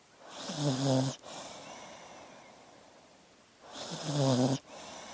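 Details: Snoring dog while sleeping: two long, rough inhaled snores with a low droning buzz, roughly three and a half seconds apart, each ending abruptly, with quiet breathing between.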